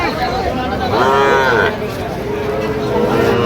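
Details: A Sahiwal bull calf at a cattle market gives a rising, harmonic moo lasting about half a second, with men haggling over the price and a murmuring crowd behind.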